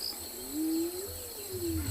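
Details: Spotted hyena calling during an afternoon safari drive on 19 January 2021 at a private game reserve in South Africa, unusually early in the day for it: a faint, drawn-out tonal whoop that rises and then eases down, over steady broadband background noise.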